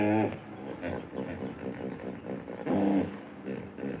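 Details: Hippopotamus making throaty, rhythmic grunts. A loud honking burst opens the clip and another comes near the three-second mark, with softer pulsed rumbling in between.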